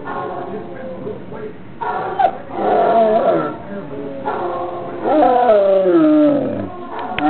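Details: Basset Hound kept as a pet, howling along to a recording of other basset hounds: overlapping wavering howls rise and fall, the loudest one near the end bending downward, over a steady background of played-back sound.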